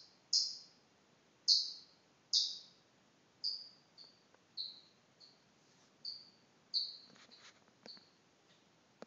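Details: A pet chipmunk, which its owner jokes thinks it is a canary, gives sharp, high single chirps, about one a second at first, then softer and more broken, over a quiet background.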